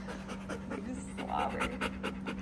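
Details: Bernese Mountain Dog panting after time near the pool, fast regular breathy bursts about five per second, with a faint human voice briefly underneath and a constant low hum throughout.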